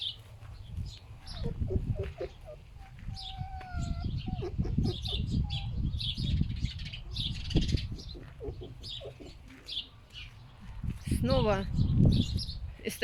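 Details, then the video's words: Two pet female foxes rescued from a fur farm, tussling over a dead bird in strong wind, making low pig-like grunting noises in rapid irregular bursts, with a brief wavering whine near the end, heavy wind rumble and faint chirps throughout. "Foxes make grunting noise like a pig"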